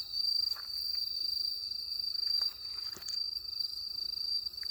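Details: Crickets chirping on a rural night, a steady high-pitched ringing trill with rapid pulsing, interrupted by a few soft knocks and scattered faint clicks.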